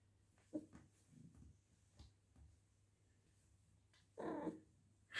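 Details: Fluffy, a female British Shorthair cat kept indoors, is back in heat a few weeks after having a litter. Short soft vocal sounds come first, then a louder, longer call around the fourth second, with room hum throughout.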